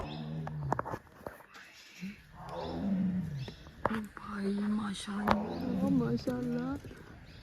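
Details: Adult tigress at Turia gate, Pench Tiger Reserve, 2023, agitated and tense because she could not see her second cub; low, drawn-out harmonic roars repeat under close whispered human speech and exclamations.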